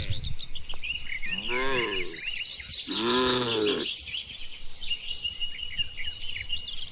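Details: Tame cattle herded through a wide, green oil palm plantation in the countryside give two drawn-out, arching moos about a second apart, over steady high chirping and twittering of birds.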